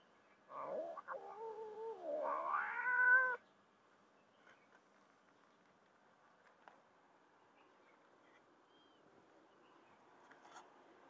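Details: Mother street cat or kitten being fed; two loud drawn-out meows, the second wavering and rising, then quiet background with faint clicks.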